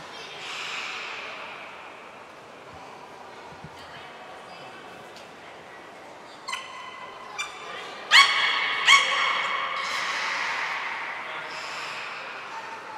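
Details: Training session with belugas Nana, Niko and Mirai at Port of Nagoya Public Aquarium on 23 February 2023: soft hiss, then sharp clicks and a string of bright, harmonic squeaky calls around the middle, fading into breathy noise.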